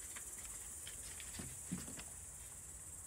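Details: Cicadas singing loudly at night in the mountains while the air turns cool; a steady, high, hissing drone runs unbroken through the whole stretch, with faint low murmurs and a soft knock underneath.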